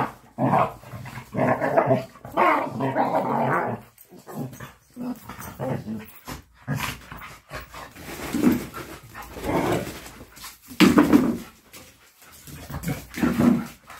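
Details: A playing Labrador Retriever makes harsh, rumbling growls and huffs in irregular bursts throughout. The growling is most sustained in the first four seconds, with sharper short outbursts later.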